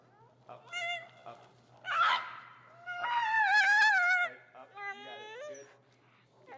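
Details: Finnegan, a feral husky in heel training in Chicago, objects loudly to the behavior being taught. Short whines lead into a sustained, wavering, high howl-like complaint. A few softer rising whimpers follow.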